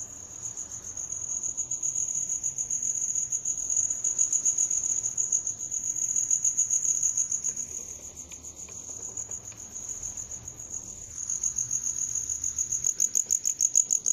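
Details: Steady high trilling of a cricket, rapid chirps pulsing without pause, rising and falling gently in volume across the recording, with faint soft rustling beneath.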